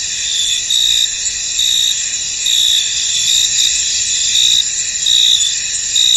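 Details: Many crickets calling in a misty field, their high continuous trilling broken by stronger repeated chirps, about seventy a minute, fairly evenly spaced.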